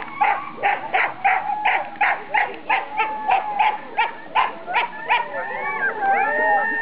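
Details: Four Siberian Huskies in harness at the start of a 4-dog class sled race, 2008 NSW Sled Dog Shield at Grabine Lakeside Park, yelping in quick bursts nearly three per second, then shifting into wavering howl-like whines near the end.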